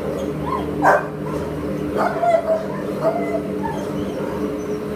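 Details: A Pit Bull Terrier offered for adoption on 22 July 2015 lets out one loud bark, then a quick pair and a softer single, against a persistent low mechanical hum.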